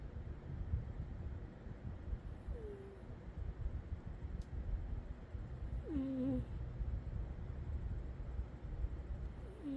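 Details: Sleeping cat Umi snores; short nasal whistles slide downward at intervals of about three to four seconds, each paired with a faint breathy rush, against a continuous low-pitched rumble.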